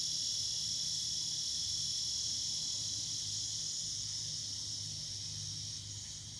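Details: Cicadas singing in the evening: a steady, dense, high-pitched buzzing drone that holds unbroken throughout and fades slightly toward the end, with a faint low rumble underneath.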